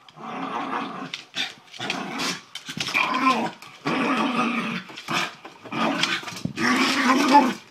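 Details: Miniature Schnauzer indoors, playing basketball and getting worked up: rough, harmonic growls in bursts of about one second, broken by short sharp gaps and a few snapping bark-like onsets.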